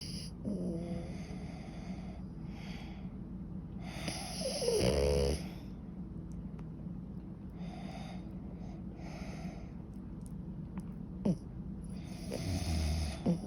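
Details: French Bulldog named Suta, a pet dog, snoring loudly while asleep: long stretches of soft raspy breathing broken by two loud, buzzy, droning snore bursts, one near the middle and one at the end.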